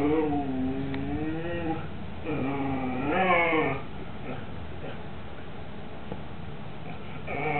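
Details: Two Siberian Huskies, Mau Mau with his lamb bone and Hugo begging his big brother to share, filmed 18 September 2007. Drawn-out, bending moans swoop up and down in three or four bursts, then fade into quiet background hiss.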